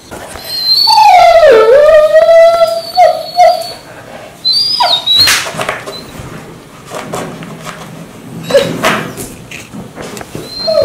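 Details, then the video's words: Mansu the dog rousing its owner indoors in the morning, a long swooping whine that dips then levels off, followed by shorter squeaky yelps and whimpers, louder at first and trailing into quieter fragments. "아침마다 알수없는 소리를내며 주인을 깨우는 강아지"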